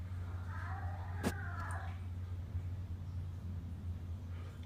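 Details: Domestic cat giving a drawn-out, wavering meow with layered harmonics that rise then sag over about a second and a half, followed by a sharp click and a softer trailing cry, all over a steady low indoor hum.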